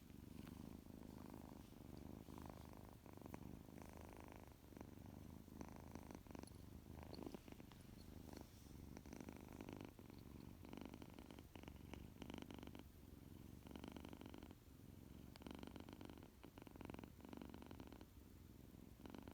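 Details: A long stretch of loud purring from Tuxie, a male tuxedo kitten waking after a nap: a deep, unbroken throb, rising and falling gently with his breathing, overlaid by frequent rustling and shuffling.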